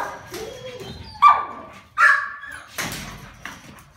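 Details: Male Rottweiler, dated December 16, giving a few short, sharp barks with a whining, slightly rising tone, spaced under a second apart, in a small indoor room.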